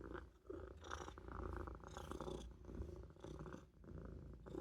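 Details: Maine Coon kitten napping in a sink indoors, purring in a low, continuous rumble that swells and fades with each breath, with short soft pauses between breaths.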